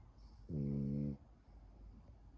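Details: A French bulldog gives one steady, low, rumbling snore lasting just over half a second.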